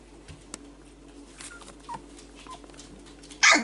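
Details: Kestrel, a 4-week-old male Whippet pup, exploring his range of vocals: three short, thin whimpers rising and falling, then a sudden loud, harsh yelp at the very end.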